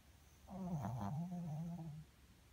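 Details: A Pomeranian dog snoring while asleep indoors: one soft, drawn-out, low rumbling snore lasting about a second and a half, with a slight wavering pitch, in an otherwise quiet room.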